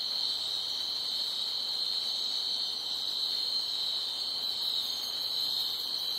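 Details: At night, crickets keep up a steady, high-pitched chirping chorus that never breaks.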